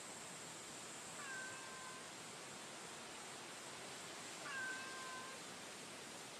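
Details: Stray female cat encountered on the street in daytime gives two faint, drawn-out meows about three seconds apart, half buried under constant outdoor hiss.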